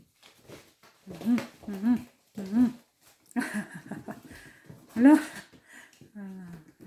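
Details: Kittens at play indoors after eating; a series of short rising-falling meows repeated about every half second, then a later louder meow, with people talking and laughing throughout.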